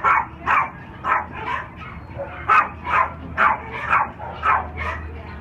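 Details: Three-year-old black and tan unaltered male Cairn Terrier and Lhasa Apso mix at OC Animal Care, barking in a steady run of sharp mid-pitched barks, roughly two per second, with kennel room echo.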